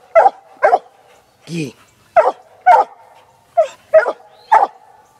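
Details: Six-month-old Black and Tan Coonhound female working a coon trail laid for her, giving short sharp barks in uneven bursts, one lower drawn-out yelp mid-clip, with a steady hum in the background.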